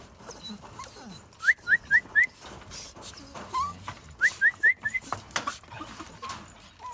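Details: Whining Jack Russell Terrier: two bursts of four quick rising yelps, each a sharp upward squeak, separated by a single lower whine, then quiet background.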